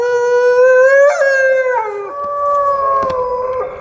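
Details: A wolf howls in a smooth, sustained tone that rises slightly, steps up, then slides down and holds a lower, wavering pitch to the end.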